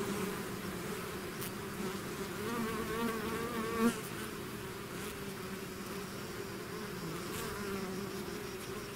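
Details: Bees swarming out of their hive fill the air with a steady drone; around the middle one bee zooms close, its buzz swelling loudly then fading back into the hum.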